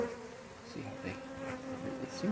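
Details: Honey bees in a relocated hive during an inspection: a faint, steady low hum with a soft overtone runs throughout, over quiet background sounds.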